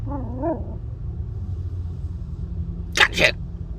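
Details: Young female Maltese puppy, seven weeks old, gives two quick high yaps near the end, after a woman's cooing voice at the start; steady low background rumble.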